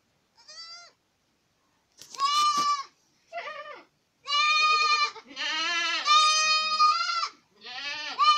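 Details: Boer goats in Acatlán de Osorio, Puebla, Mexico, producing loud, sustained, tremulous bleats, several long and overlapping, after a short quiet bleat at the start.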